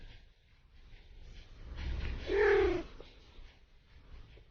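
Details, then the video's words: Domestic cat giving a single drawn-out, slightly nasal meow lasting under a second, with music and low rumbling behind it. "Funny Cat Sounds"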